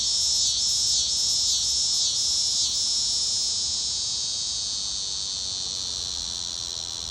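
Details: Cicada. A cicada calls with an intense, shrill buzz held at a constant high pitch. Regular pulses mark the first few seconds, then the drone continues evenly and fades slightly toward the end.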